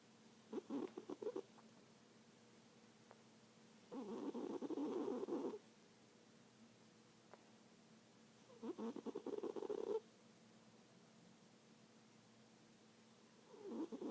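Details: Cat asleep and snoring: rough, rattling breaths come every four seconds or so, each lasting about one to one and a half seconds, with near silence between them.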